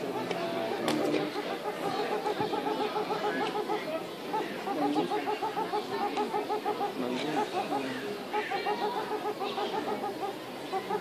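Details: Meerkats at Tiergarten Schönbrunn zoo give a steady stream of short, squeaky chirps that overlap into a busy chatter.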